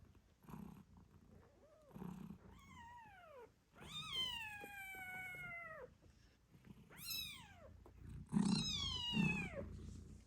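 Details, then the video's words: Loud, drawn-out descending mews from eight-day-old British Shorthair kittens, some lasting two seconds, alternate with short squeaks, while mother cat Moon Stone purrs in low pulses during nursing. "Cute Kittens Meowing Yawning Sleeping Cat Mom Purrs Loudly 🥰 8 Days After Birth British Shorthair"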